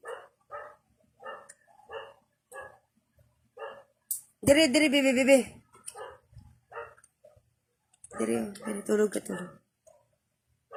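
Kittens mew in quick, thin bursts, broken by a couple of longer, louder wavering meows.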